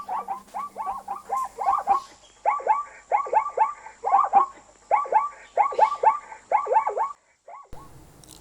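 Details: An African zebra neighs in a long sequence of barking yelps, with arched, nasal notes bunched in fast groups of three to five, repeated for about seven seconds before stopping, then a short muffled noise.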